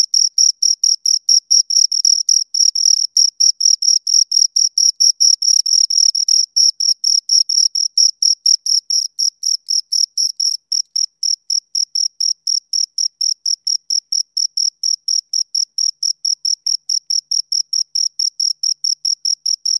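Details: Two crickets chirping: a steady train of short, high, shrill pulses, roughly four per second, with a thinner overtone band above; no other sounds, clean and close.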